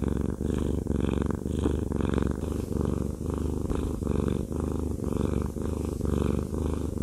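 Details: Fluffy pet cat purring during a massage indoors, a low, even rumble pulsing roughly once a second alongside gentle repeated stroking sounds.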